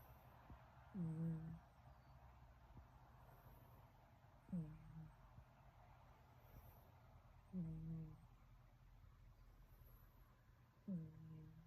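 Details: Hector the kitten snoring in sleep, each breath a short low rumble with a faint tonal rise, recurring roughly every three to four seconds over a quiet room background.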